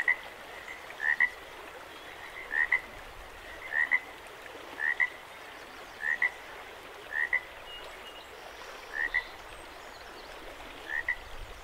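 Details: At Jacobs Creek, frogs call beside a running creek. Quick double-noted chirps repeat roughly every second and a quarter, about nine bursts in a row, while the creek's constant watery rush fills the background.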